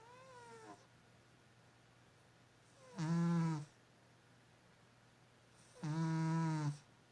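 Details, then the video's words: A cat snoring: three rough, buzzy snore bursts about three seconds apart, each under a second long with a deep low rumble. A faint falling tone opens the clip, and a steady low hum runs between breaths. "고양이 코골이"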